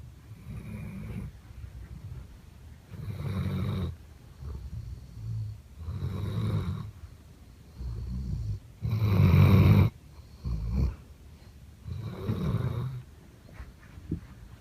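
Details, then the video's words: Redbone coonhound named Pete asleep on a couch, snoring very loudly: deep rumbling snores in regular bursts about every three seconds, each lasting roughly a second, the loudest near the middle, with quiet breathing gaps between. "Hound Dog Snoring and Running"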